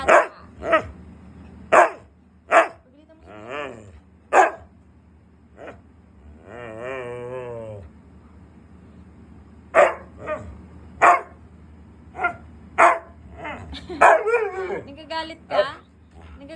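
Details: Angry pet Siberian husky denied treats barks in a long series of sharp, evenly spaced barks. A drawn-out wavering, harmonic vocal in the middle and a woman talking in Filipino are also heard.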